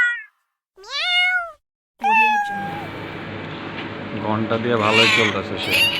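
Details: Domestic cat giving two drawn-out meows, each rising then falling in pitch, then a third shorter meow, after which overlapping voices and busy background noise take over.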